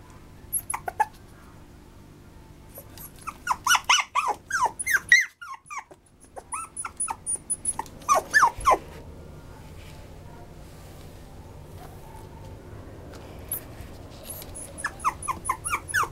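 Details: Maltipoo dog giving bursts of short, high, harmonic yips and whines, rapid and uneven, in clusters separated by quieter pauses, over a low steady background hum.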